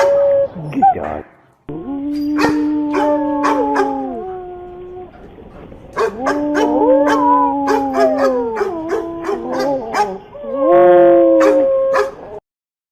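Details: Dog vocalising in long, steady howls, several held for about two seconds, mixed with quick yelps and a rapid trembling whine near the end.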